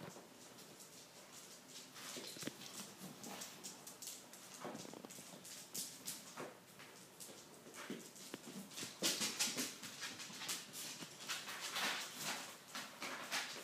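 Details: Three 10-week-old Weimaraner puppies from a litter of seven, playing, give short, high whimpers and yips in quick, irregular bursts.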